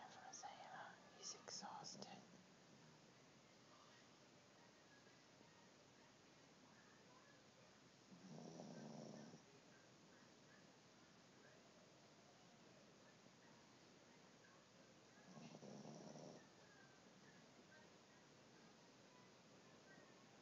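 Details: Dio, a pet dog, snoring while asleep on Christmas morning, recorded on an Android phone: soft whispered speech at the start, then two low, breathy snore pulses about seven seconds apart, each lasting around a second and a half.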